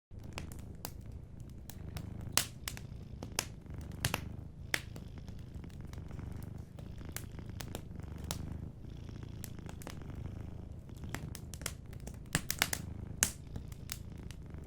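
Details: A sleeping cat (Felis catus) purrs softly and steadily beside a fireplace, with the fire crackling and popping sharply close by.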